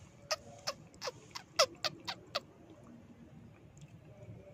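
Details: A mouse-calling sound, said to draw mice out of their nests even in daytime: short, sharp squeaks, about eight in quick succession over two seconds, high and clicky, then near quiet with a faint background hiss.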